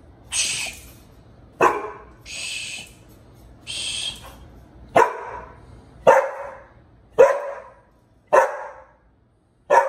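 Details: Pit Bull named Bullet and a younger puppy, Liberty, who won't leave him alone indoors; loud clipped barks repeating roughly once a second in a steady series, alternating with breathy huffs early on.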